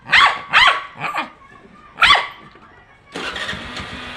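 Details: An angry dog reacts to a horn with four sharp, separate barks spaced about half a second apart. Then a vehicle engine starts up and drones steadily through the final second.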